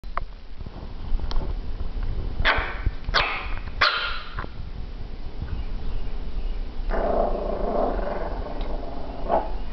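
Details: A dog plays with a ball she cannot pick up with her mouth, growling and barking at it; a few short barks early, then a rough drawn-out growl, over heavy low rumbling noise.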